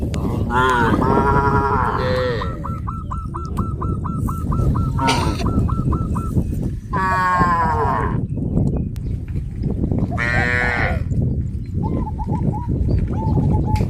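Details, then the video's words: A herd of cows on a traditional village farm heading toward green grass fields; several long, deep harmonic moos rise and fall, while a rapid series of short hooked honk-like calls repeats between them over steady rumbling background noise. "A herd of cows heading towards the green grass fields, sound of cows"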